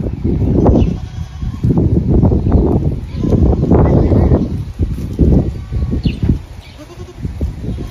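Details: Kalahari Red goats of South African origin, several animals together; short broken bleats rise out of constant low rumbling and shuffling noise, with a steady high hiss underneath throughout.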